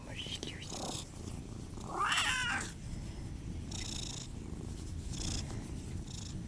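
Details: Siamese cat, one of the pair Otani and Yozora, gives a short wavering meow around the two-second mark over a steady low rumbling texture, with soft breathy bursts of noise before and after.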